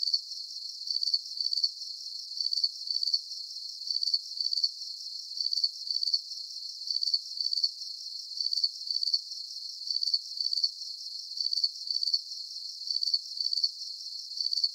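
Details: Rhythmic, bright cricket chirping, each burst a rapid shrill pulse, regularly spaced at roughly half-second intervals for the whole stretch, clean and free of other sounds.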